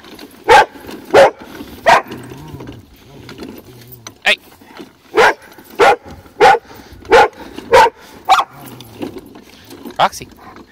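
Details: Female Rottweiler barking at a wagon she dislikes: about ten loud, harsh barks in an irregular series, some two-thirds of a second apart. Brief low human speech in the gaps.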